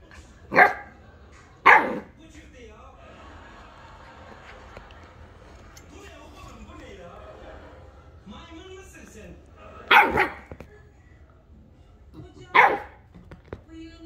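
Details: A Siberian Husky puppy, confused by the heat of a hot coffee mug, gives four sharp, high barks spaced across the clip, with quiet talking between them.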